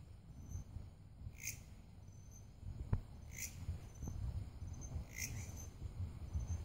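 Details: Grasshopper. Brief scratchy pulses from a grasshopper repeat roughly every two seconds above a faint, continuous high-pitched hum. A heavy low rumble, like wind or handling, runs underneath throughout.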